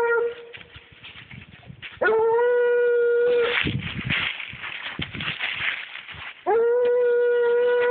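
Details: A 7-year-old Treeing Walker Coonhound, a trailing dog, gives long steady drawn-out bawls, one at the start and two more after a pause, with rough noisy bursts in between.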